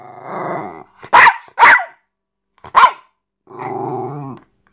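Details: Jack Russell Terrier thrashing a teddy, making cute noises. A drawn-out rumbling growl opens, then three sharp, harsh barks or snarls in quick bursts, ending with another long throaty growl.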